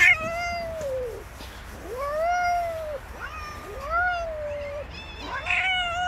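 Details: Female cat attacked by three male cats on the street, giving drawn-out wavering yowls, each arching up and falling over about a second, repeated with brief gaps, with several overlapping cries.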